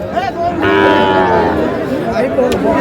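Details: Sahiwal calf bought by a farmer from Shariatpur on 26 August, giving a drawn-out, harmonic, slightly wavering moo lasting about a second amid steady crowd chatter and background voices.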